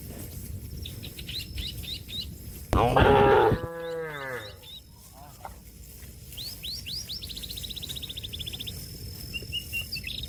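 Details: A cow calls out to a friend feeding on grass in the field with a single loud, sustained moo that falls slightly in pitch. Birds give high, rapid chirping series in the background.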